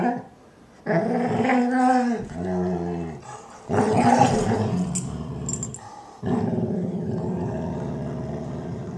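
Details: A German Shorthaired Pointer makes low, drawn-out groaning and grumbling happy noises while her Weimaraner housemate cleans her ear.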